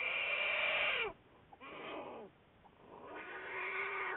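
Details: Juliet the black bear, Wildlife Research Institute study animal, February 10, 2014: three drawn-out squalling cries, the first loud and about a second long, the last rising and fading.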